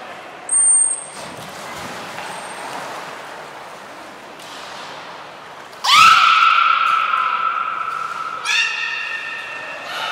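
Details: Beluga training session with Gray, Mirai and Nico at Port of Nagoya Public Aquarium, December 2018; a loud sweeping squeal settles into a long steady whistle, then a rich harmonic tone follows.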